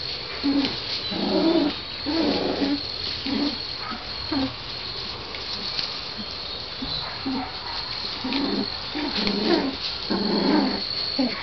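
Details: Sheltie-Corgi mix puppies aged 3 weeks 1 day, just starting to bark, play rough-and-tumble inside their shed on March 25, giving soft, squeaky barks and yips about once a second, with some growling and a person speaking.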